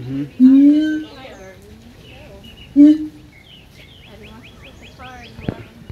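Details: Siamang giving two loud, hollow, upslurred whoops a couple of seconds apart. A thin, rapid series of higher notes comes near the end over a noisy background.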